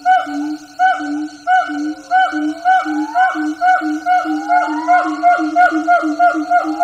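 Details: Siamang gibbons (several troops), heard from a distance in jungle, call in loud, eerily human hooting notes that quicken into a rapid series while rising whoops glide upward.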